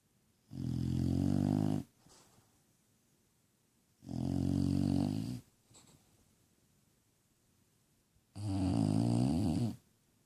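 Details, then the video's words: Sleeping bulldog giving steady, regular snores roughly every four seconds, each a harsh rumbling inhale lasting over a second, with faint breathing between and a quiet room behind. "Snoring bulldog"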